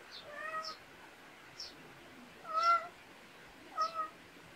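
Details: Countryside cat in a Korean backyard gives three meows, the first soft and wavering, the later two louder and steadier, while thin, high bird chirps sound around them.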